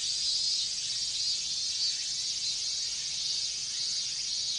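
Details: Minmin cicadas massed in a hot Japanese summer, their sound merging into an unbroken, piercing high drone that stays level throughout.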